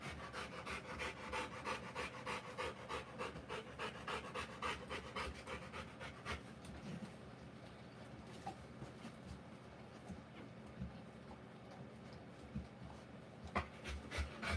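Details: Rottweiler in labour giving birth to puppies, panting in fast, steady bursts of about three breaths a second, strong for the first six seconds, then softer and more irregular, with a few sharp clicks near the end.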